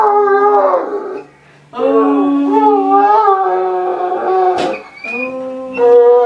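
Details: Male Irish wolfhound at home "singing" when the family returns, as he does when the boys come home from school: long, wavering, howling moans with rich harmonics, rising and falling in pitch, broken by short pauses.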